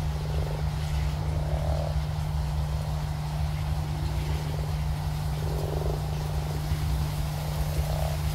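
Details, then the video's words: Pond with big frogs: a few brief rattling croaks spaced several seconds apart, the later ones louder, heard through a constant deep droning hum. "Take Some Big Frogs and a Pond and this is what you Get!!"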